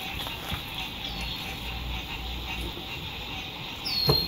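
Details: Frog chorus at sunset along a lakeside RV campground in spring 2021: unbroken high-pitched trilling holds throughout. Low traffic rumble lies underneath, a short sliding squeak comes near the end, and there are a few soft knocks.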